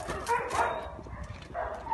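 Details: Alaskan Malamute named Sherpa greeting its owner on return from a trip by aeroplane. Two bursts of wavering, moaning whine, one near the start and one toward the end, over a soft muffled background.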